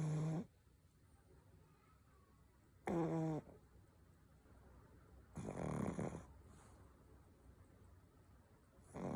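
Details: Pug snoring: four loud harsh snores spaced roughly every two and a half to three seconds, buzzy and low with banded harmonics, quiet breathing between them.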